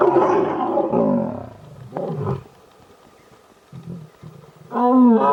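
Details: Mating lions in the Gir forest, Sasan Gir: a loud moaning roar at first, a brief growl around two seconds, near quiet, then another strong rising roar at the close.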